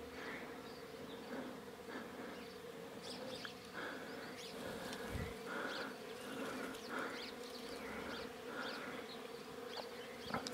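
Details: Wild honey bees buzzing as their hive is cut from a bush on a mountain in rural Iran, the bees turning to attack; a steady, dense droning hum with layered harmonic tones holds throughout, with faint scattered clicks and rustles.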